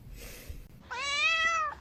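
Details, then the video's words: Kitten meowing indoors: one clear, drawn-out meow lasting under a second, steady then gently falling at the end, rich in harmonics, following a brief stretch of quiet room noise. "kitten meowing"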